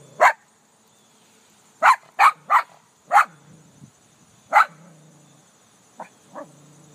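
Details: Dog barking at its own reflection in a car: loud sharp barks, a quick run of three, then single barks, and two softer yips near the end over a low steady hum.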